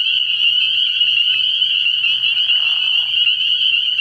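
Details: Dense night chorus of spring peepers at an early-year frog pond, countless high piping peeps blending into one continuous shrill ring, joined midway by a short burst of lower, rattling croaking.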